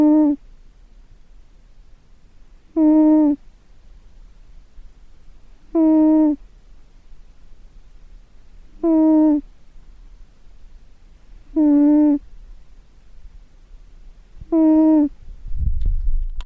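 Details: A cat asleep and snoring: six even, hum-like tonal snores, each about half a second long with a slight downward bend, repeating roughly every three seconds in a quiet room, with a soft rustle at the end.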